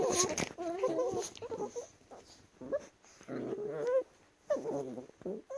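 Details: Chihuahuas wrestling, making funny noises: bursts of nasal whining and grumbling growls, some with wavering pitch, separated by short quiet gaps, with scuffling between them.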